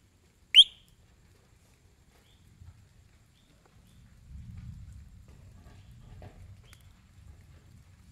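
A frog gives a single sharp, high whistle, loud and brief, followed by a low rumble.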